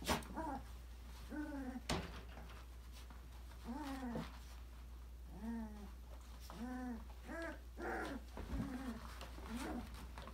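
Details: Australian Labradoodle puppies, five weeks old, explore an enrichment playground indoors. They give arched, rising-then-falling whining yelps, several in quick pairs, with loud clatters at the start and near two seconds.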